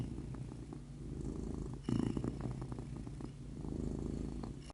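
A domestic cat's low, continuous purr throbs in a steady rhythm with every breath in and out. Cats purr not only when content but also when ill, stressed or soothing themselves; a brief rustle interrupts midway.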